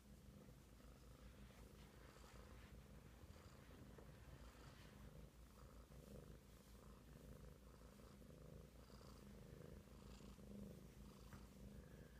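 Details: Rockford, a big kitten, purrs continuously in a low, rough, pulsing rumble that holds steady from start to finish, with no other clear sounds.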